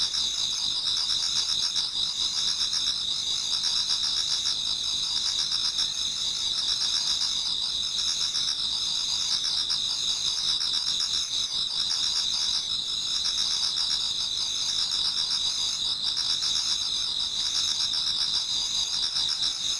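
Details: Many insects singing in an autumn Japanese garden toward dawn create a continuous high, shimmering chorus of layered trills, with quick soft pulses repeating beneath the steady drone.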